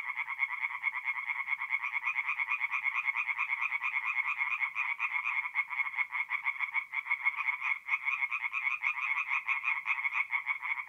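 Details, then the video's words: Night chorus of tree frogs at a forest pond in North-East Italy in mid-April: many overlapping grating pulsed croaks repeated rapidly, forming an unbroken wall of sound. "relaxing forest pond by night with singing tree frogs"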